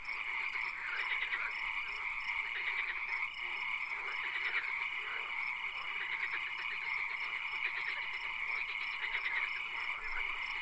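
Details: Frogs croaking in a swamp at night, amid occasional rain: dense overlapping pulsed calls with a brief dropout near the start, over unbroken high-pitched hiss and droning tones.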